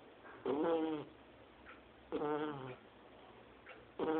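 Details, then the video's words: Two-month-old Shar Pei puppy asleep and snoring like an adult person: three rough, nasal, harmonic snores, each about half a second long, coming roughly every two seconds with quiet breathing between. "Shar Pei filhote roncando"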